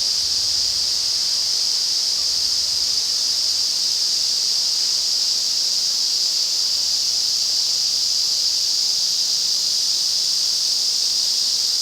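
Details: Ezo cicadas sing en masse in the restored Afan Woodland, Nagano, Japan, in August: a steady, piercing shrill hum that fills all twelve seconds, with a faint low rumble in the background.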